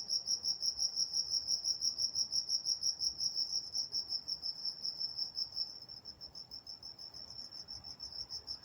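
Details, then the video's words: Night crickets in Walnut, California, giving a bright, high rhythmic chirping, roughly three pulses per second, loud at first and softening toward the end, over a calm, still night background. "Nature Sounds Night Time Crickets in Walnut, California"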